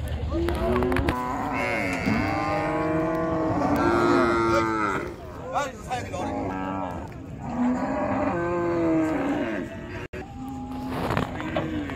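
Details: Cattle being unloaded at a busy village cattle market beside a river; several long, droning moos with steady harmonic tone overlap one another almost continuously, with brief pauses and faint background voices.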